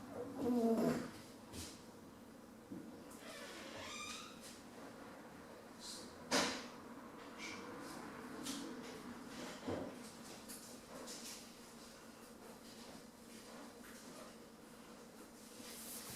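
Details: Bambi, a 10-week-old female Rottweiler puppy, snoozing: a sharp, loud snort or sneeze opens the clip and another burst comes near the middle, between soft, breathy snoring noises over a quiet background.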